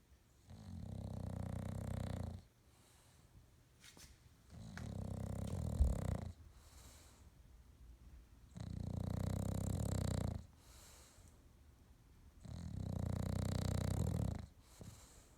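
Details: A male English Bulldog asleep on his new bed with eyes open snores in deep, rumbling rasps, each breath lasting about two seconds. English Bulldog.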